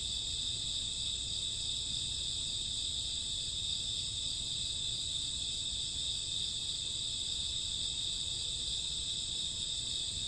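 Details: Night chorus of crickets and grass insects in summer or autumn: continuous shrill trilling stacked in bright high bands, unbroken and even in loudness throughout.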